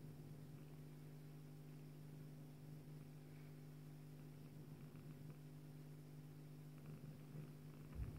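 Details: Bengal mother cat purring while nursing her female kitten; a steady, low, continuous rumble runs throughout with very little else audible.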